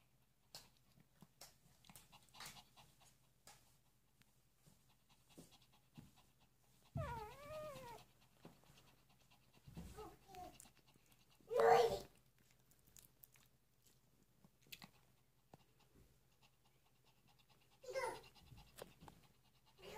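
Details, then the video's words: Three-day-old puppies make occasional thin, wavering whimpers that rise and fall. Between them are long stretches of quiet shuffling and soft breathing, with a louder squeak near the twelve-second mark. "3 day old puppies"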